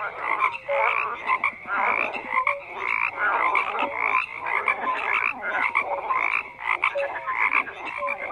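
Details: A loud massed frog chorus of harsh, rattling croaks that swell and dip in waves. Scattered short whistled notes are heard over the constant raspy din.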